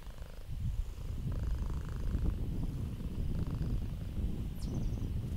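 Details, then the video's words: Very close, deep purring from a domestic cat, heard mostly as a dense, grainy low rumble with little breathy brightness; a brief faint chirp near the end. "Cats PURR and MEOW"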